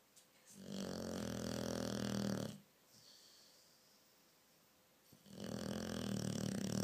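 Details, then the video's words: Pet dog snoring loudly indoors at night: two long rasping, buzzy inhalations of about two seconds each, rich in low rumbling harmonics, separated by a quiet pause of soft breathing. "Possibly the worlds loudest snoring dog!"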